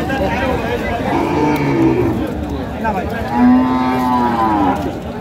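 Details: At a Madaripur, Bangladesh cattle market on 25 May 2025, with cows fit for Qurbani on sale, two long, low moos sound a second apart, the second louder and steadier, above a background of talking buyers and traders.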